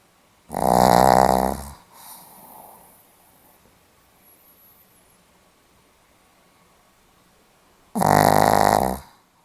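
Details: Sleeping Pomeranian recorded on 8 November 2015 gives two loud rasping snores about seven seconds apart. Each is a drawn-out, vibrating buzz of roughly a second, separated by a long near-silent pause with faint breathing.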